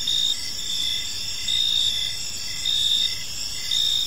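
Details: Evening cricket chorus from a park, continuous shrill trilling with a brighter pulsed chirp repeating roughly every second, gentle low ambient noise underneath.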